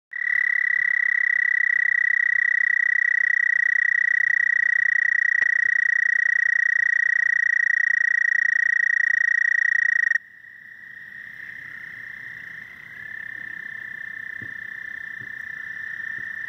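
A frog gives a long, steady, high-pitched trill that holds one unwavering pitch for many seconds.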